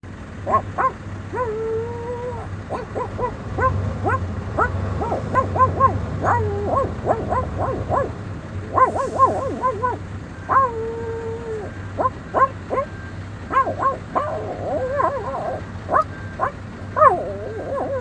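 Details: Dog making funny sounds: a run of short tonal whines, yelps and yips that bend up and down, some held and wavering, over a steady low electrical hum.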